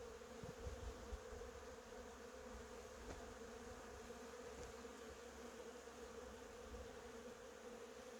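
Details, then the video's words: Honey bees foraging among cherry blossoms, a steady low droning hum holding one even pitch throughout, with a few soft low thumps near the start. "벚꽃과 꿀벌소리"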